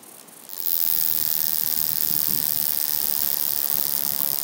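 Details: A wing-buzzing toothed grasshopper (Stenobothrus rubicundulus) at Mala Ucka, Croatia, on 26 July 2023 gives a dry, high, continuous rasping buzz that starts abruptly and holds steady.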